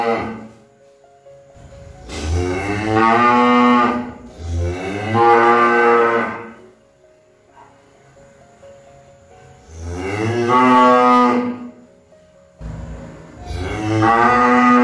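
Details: Cow mooing in bouts: two moos close together, a quiet stretch, then two more long bellowing calls, each deep, harmonic and drawn out.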